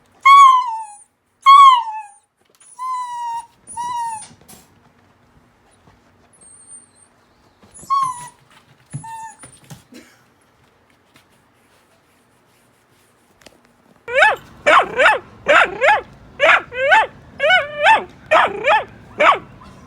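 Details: Miniature Dachshund reacting to the voices of other dogs heard on TV or outdoors. Drawn-out, falling high whines come first, then after a quiet stretch a rapid burst of about a dozen sharp barks in quick succession.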